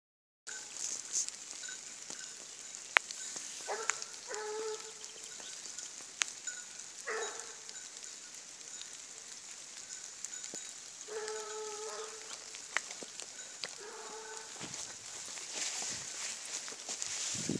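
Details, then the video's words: Blue Gascony Griffon named Boira trailing a wild boar: distant, drawn-out baying in short bursts, several notes each, returning roughly every three to four seconds over a steady crackling hiss with occasional sharp clicks. "Grifon azul, Boira, siguiendo jabali"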